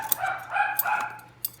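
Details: Excited puppies playing indoors after being taken out for a walk on a cold day of 16 degrees; short whiny, yelping voiced sounds rising and falling, with sharp clicks and thumps between them.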